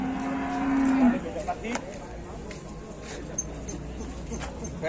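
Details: Cow lying in its pen, unable to get up, while the rest of its herd was taken to market: one steady, low, even moo of about a second, followed by a noisy background with clatter and faint knocks.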